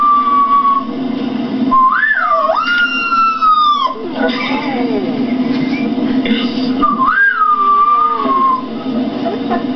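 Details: Rottweiler named Balrog howling in sustained wavering notes, each swooping upward then sliding gradually down, repeated in two long bouts over a constant low droning background.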